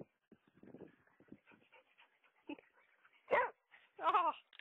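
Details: Dog in a home with the mother dog Mali and her puppies. Soft snuffling and faint whines build to two short, loud, wavering yelps near the end, about a second apart.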